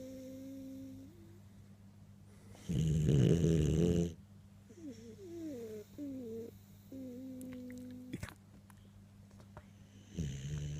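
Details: Cockapoo named Bailey sleeping on Sunday evening, giving one long, harsh snoring breath, framed by high whistly nasal squeaks that wobble and slide, with a constant low electrical hum in the room.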